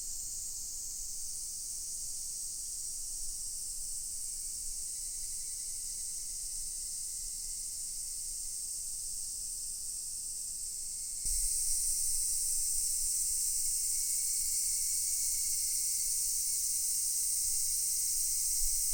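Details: Cicadas in full chorus at Daichū-ji temple in Ōhira town: a steady, dense, hissing high-pitched drone with no breaks, growing noticeably louder and brighter about eleven seconds in and holding there.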